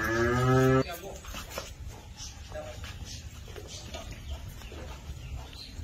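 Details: Holstein Friesian heifer, one of twelve young Holstein Friesian and Jersey heifers. A single short, low, richly harmonic moo opens the recording and lasts under a second, then gives way to quiet indoor background noise with faint voices.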